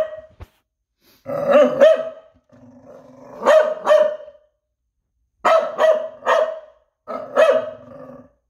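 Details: Noodles the dog barking in sharp, mid-pitched bursts, often in quick pairs, about eight barks over several seconds, with a softer drawn-out grumbling tone between the first groups and short silences in between.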